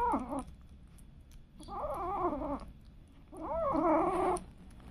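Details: Domestic cat indoors, one of a household's cats and kittens, giving three drawn-out, wavering meows spaced about a second apart, each rising then falling, in a quiet room with faint background hiss.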